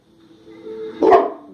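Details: A single sharp bark from a 14-month-old mastiff or a 4-year-old American Bulldog as they bark at their own reflection, following a steady low hum and muffled talking.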